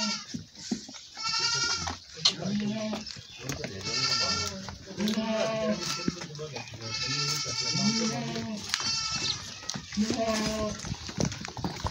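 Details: Goats bleat during milking in a village, arched, wavering bleats recurring every second or two amid overlapping human talk.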